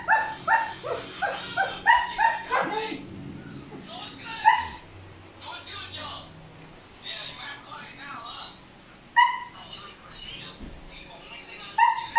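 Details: Male Siberian Husky, noisy because a female is in heat, giving a rapid series of whiny, yipping vocalizations with clear harmonics, bursts through the first three seconds, then scattered cries, with a person speaking briefly.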